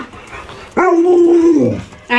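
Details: During a game of hide and seek with its owner, an Alaskan Malamute lets out a loud, steady howling moan after a quiet start. The moan sags in pitch at its end, and another call begins just as the sound cuts off.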